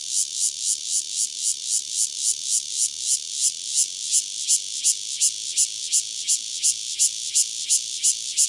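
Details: Lone Cryptotympana takasagona cicada singing near Dona village, KaoHsiung County, Taiwan; harsh, very high buzzy pulses repeated steadily around two to three per second, each swelling then cutting off, against a quiet background.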